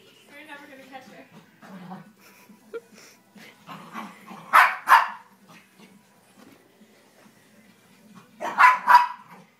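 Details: Playful eight-month-old Havanese dog indoors, with a woman talking at the start, then paired loud high yapping barks at about four and a half seconds and again near nine seconds, quiet between.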